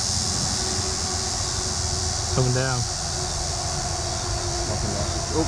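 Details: Linne's cicada (Neotibicen linnei) in Cape May County, New Jersey, drones a steady, high, shrill whine, with a brief human voice partway through as someone tries to catch it.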